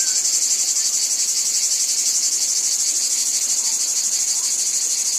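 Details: Wheat field cicadas in a steady, hissing high drone with faint quick pulsing, unbroken from start to finish.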